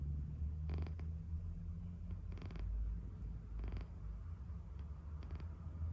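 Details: Sleeping cat snoring: a low, steady rumbling drone of breath that swells and eases across the clip, with a few brief soft rustling sounds mixed in.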